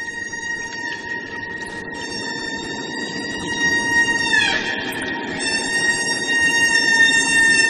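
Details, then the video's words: Humpback whale song, sung only by males to attract females in the breeding season and used for communication: long drawn-out high tones with stacked overtones, holding steady, then a downward glide midway before steady tones resume. "উচ্চ লয়ে টেনে টেনে দীর্ঘক্ষণ ধরে চলা এই শব্দকে অনায়াসে তিমির গান বলেও চালিয়ে দিতে পারেন আপনি।"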